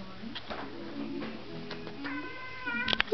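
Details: Male pet cat talking: a short run of harmonic, rising-then-level meow-like calls near the end, over a steady low hum and faint background voices.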